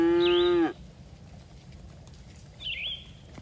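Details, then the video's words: Cattle from a herd grazing in a green field give one short, loud moo: a rich harmonic tone held for under a second and then cut off. A bird chirps twice, once during the moo and once near the end. "Suara Sapi Moo"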